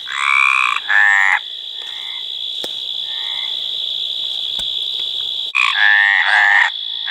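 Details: Mediterranean tree frog courtship croaks, two rasping notes at the start and two at the end, separated by a stretch of steady high whine with faint distant croaks and a few clicks.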